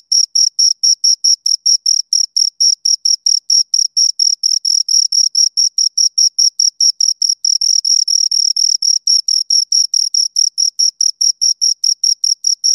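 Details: Two crickets chirping close up, a steady train of short high-pitched pulses about four per second, with a fainter overtone band above, the two callers' pulses sometimes overlapping; no other sounds.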